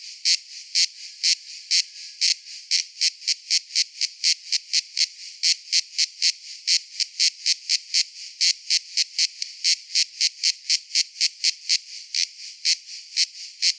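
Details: Cicada producing a long run of evenly spaced, shrill buzzy bursts, about two per second, loud and regular over a soft high drone.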